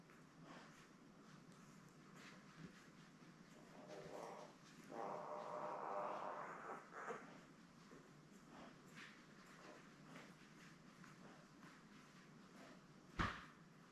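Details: Newborn Labrador Retriever puppies, a litter of seven born May 24, 2021, lying with their mother Belle on a live puppy cam; a sustained squealing whine of about two seconds rises midway amid soft snuffles, shuffling and a sharp bump near the end.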